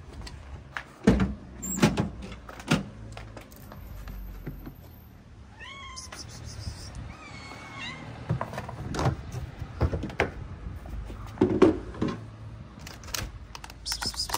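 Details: Hungry, skinny female calico street cat in Morocco gives two short meows midway, surrounded by sharp clicks, knocks and a low background hum.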